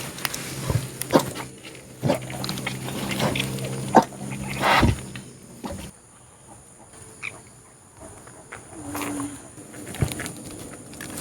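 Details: Low harmonic grunts and short squeals from a native sow and her seven newborn piglets just after birth, one very small, with people talking.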